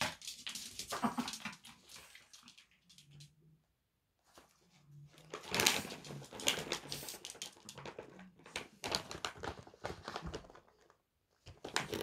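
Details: Chihuahua puppy named Sarangi eating snacks indoors, hiding under the bed: bursts of crisp, rapid crunching clicks separated by short silent pauses, with a few soft, low, brief tones between the chewing.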